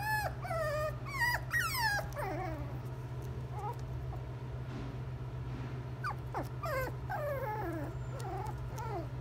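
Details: Shiba Inu at a pet shop: repeated high thin whimpering whines, rising then falling, in quick uneven series, over a steady low mechanical hum.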